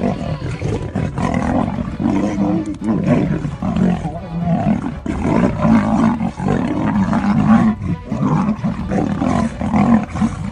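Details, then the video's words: Male African lion fighting to defend its territory; deep, rough growls and roars run almost without pause, with harsh snarling bursts throughout. "Male Lion, Fierce Battle To Protect The Territory"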